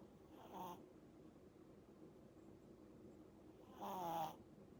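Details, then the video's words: Eight-month-old Pomeranian puppy snoring while asleep; two short nasal snorts with a buzzy, slightly tonal rasp, about three seconds apart, and quiet breathing between them. "코골면서 자는 강아지"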